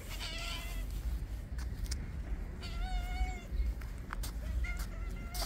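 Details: Very friendly calico cat gives three drawn-out meows, each sliding slightly in pitch, spaced about two seconds apart over low, rumbling background noise.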